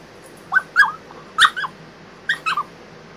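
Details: French Bulldog ten days after back surgery, confined to a crate for rest and complaining about it: a run of short high whimpers and yips in quick pairs, each rising then dropping, over a quiet background.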